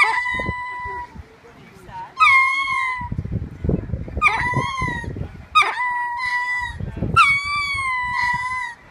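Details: Male ring-tailed lemurs on exhibit at Tanganyika Wildlife Park call out to females and infants kept next door. Loud harmonic wails, each about a second long, jump up sharply and then hold a level tone. Four calls come over low rumbling background noise.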